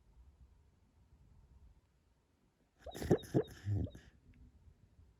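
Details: A sleeping Labrador Retriever, a female, makes a quick run of soft, bubbly puffs and snorts, apparently while dreaming.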